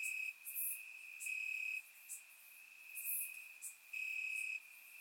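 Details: Night chorus of crickets in summer grass, Bulgaria, surround-miked: a continuous shrill high trill at constant pitch, pulsing between loud bouts and quieter stretches, with scattered short sharp ticks high overhead.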